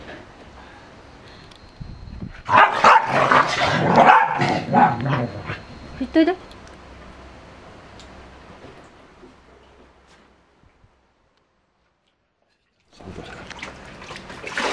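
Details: Corgi at a pool, several loud barks and yelps between about 2.5 and 6 seconds with people talking, then near silence before noise returns at the end.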